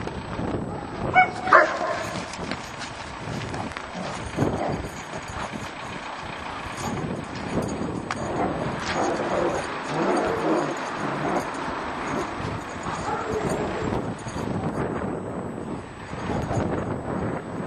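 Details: A German Shepherd barks aggressively in harsh, irregular bursts over steady background noise during aggression training at a dog training school.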